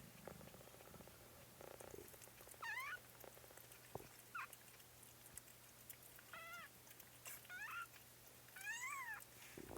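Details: Kittens in a home kitten stream, one of them named Trout, give a series of high, harmonic chevron-shaped mews, each rising then falling, about five spaced a second or two apart, with a steady low hum behind them.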